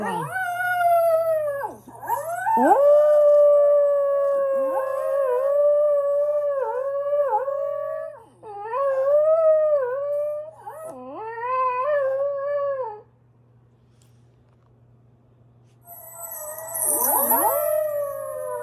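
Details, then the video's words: Pet dog howling along with itself: long, wavering harmonic howls with rising and falling pitch, sustained for several seconds each, broken by short pauses, a final howl after a quiet gap, a steady low hum beneath. "My dog howls with himself"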